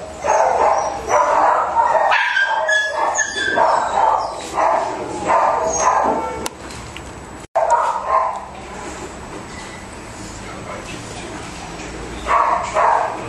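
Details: A sick Pomeranian gives a burst of sharp, high yips early on, then intermittent whining cries separated by quieter pauses and a brief dropout.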